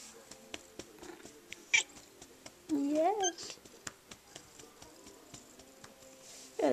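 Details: Female Snowshoe cat in foster care, indoors during an evening cuddle session on February 10, 2010, gives one drawn-out meow that rises then falls, amid soft spoken coaxing from a woman and scattered light clicks.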